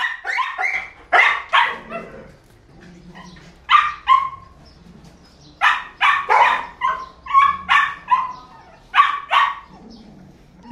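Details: Female Belgian Malinois working dog barking in loud, sharp repeated bursts, several quick barks in clusters separated by short pauses, some ending in a falling whine-like tail, indoors or close range with no other prominent sounds.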